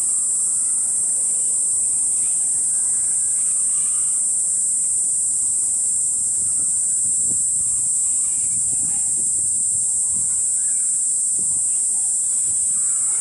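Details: Kaempfer cicada shrilling on a park cherry tree at 17:35, 20 July 2018, evening, recorded up close; one continuous high-pitched metallic drone runs throughout, with faint low rustling beneath.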